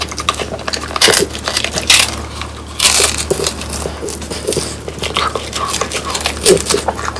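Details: Crisp crackling and crushing as French Bulldogs bite into dried whole quail in a small room; loud bursts of crunching near the start and middle, with softer chewing between them.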